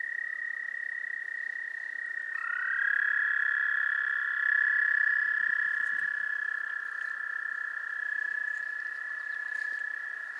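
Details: Mating calls of wood frogs at a goldfish pond, Gillette Castle State Park, April 11, 2021. A loud, unbroken frog chorus holds a steady tone, and after two seconds extra overlapping voices enter slightly lower and higher, swelling midway.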